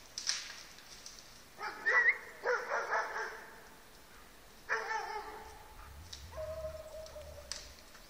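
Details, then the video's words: Mixed-breed dog, half German pointer with German shepherd, Siberian husky and keeshond, holding a moose at bay outdoors; loud hoarse barks in bursts near two and five seconds, then a shorter bark, over rustling background. "Boss ställer älg"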